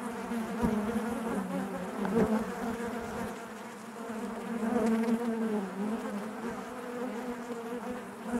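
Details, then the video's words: Honey bees buzzing inside their hive: a dense, steady hum around a low droning pitch with layered overtones, swelling and fading slightly, with occasional louder close passes of single bees. "bees therapy hive natural buzzing sound"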